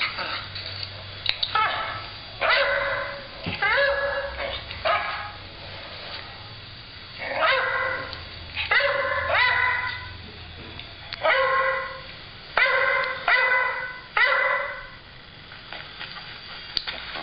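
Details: Stella, a dog, barking indoors; sharp, bright barks come in quick clusters of two to four, with short quiet gaps between bursts over a low steady hum.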